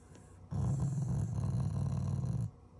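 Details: Family-pet Shiba Inu growling affectionately at its owners, not in anger; one continuous deep, throaty rumble of about two seconds, holding a constant low pitch with a gritty, pulsing texture.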